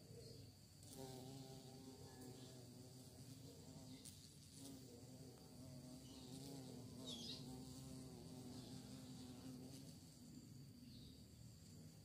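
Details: Bee out searching for prey, giving a continuous low hum with layered, gently wavering overtones that rise and fall as it flies nearby, lasting through the whole stretch over constant background hiss and a few brief clicks.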